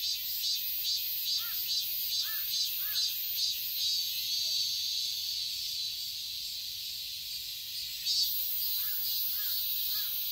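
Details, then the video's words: Cicadas droning in a summer garden in Seoul, Korea: high steady buzzing with rhythmic pulses early on, while a bird gives short repeated chirps in small groups of two or three. "ASMR-Cicadas chirping sounds"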